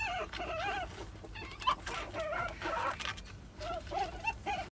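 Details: Mating ferrets keep up a steady stream of rapid, wavering clucks and chirps with little pause, over a rough background hiss.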